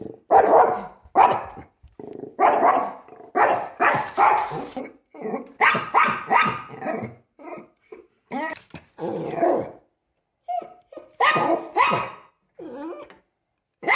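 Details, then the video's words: A Pomeranian named Chuck confronting a deer, barking and growling in quick bursts, often about half a second apart, with brief pauses between volleys. "Pomeranian vs Deer"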